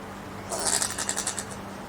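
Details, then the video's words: Common brushtail possum in Queensland, Australia, giving a short burst of about nine rapid, raspy, chattering pulses that are harsh and hissy, lasting just over a second, with a low steady hum underneath. "Brushtail Possum making some strange noises sounds"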